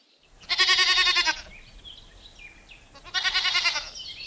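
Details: Village goat giving two wavering, harmonic-rich bleats, each lasting under a second and spaced about two and a half seconds apart, with faint bird chirps in the background between them.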